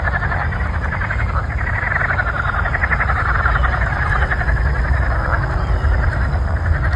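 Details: Chorus of frogs ahead of a thunderstorm, many callers overlapping in a continuous buzzing, pulsed croaking, with a heavy low rumble underneath throughout.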